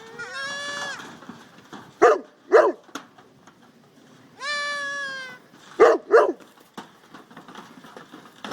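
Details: Goat kids in a pen with their mothers away eating: two long, wavering harmonic bleats with rich overtones alternate with pairs of short, harsh, pulsed bleats, repeated twice across the stretch.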